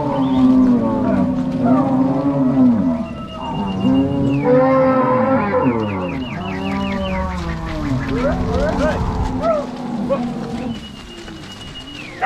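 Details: Crossbred Angus-Nelore cattle herded from corral to pasture by cowboys and dogs, Ortigueira, Paraná, Brazil, March 2022; a chorus of long, wavering moos from many cows, with a thin whistle-like tone and higher calls in the middle.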